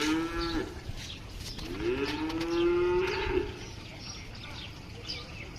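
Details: Cattle lowing: two drawn-out moos, the first brief and the second longer and steadier, with a slight upward bend at its start, followed by quiet background noise.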